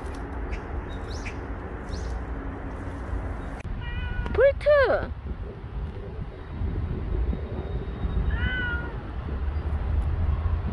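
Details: Meowing from Bolt, a stray street cat that stayed near its carers for a year and five months; one loud arched meow mid-clip, then a fainter one later, against constant low outdoor rumble and faint high chirps.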